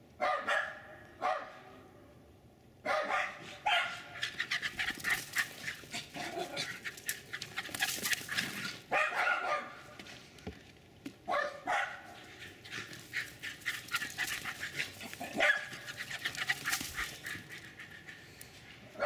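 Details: Two Jack Russell terriers, mostly the male doing the barking, run and chase around a backyard in Lenexa, Kansas, barking in sharp, rapid bursts, high and excited, triggered by something or nothing.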